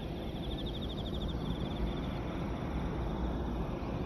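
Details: A chorus of Emma field crickets along the Yamato River embankment in Osaka trills in high, rapidly pulsed bursts over a heavy low rumble of wind or distant traffic.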